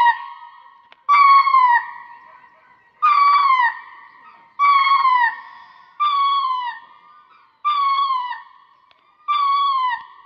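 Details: Repeated ring-tailed lemur cries: seven bright, harmonic calls that bend downward at the end, each lasting under a second and coming roughly every one and a half seconds, with nothing else audible.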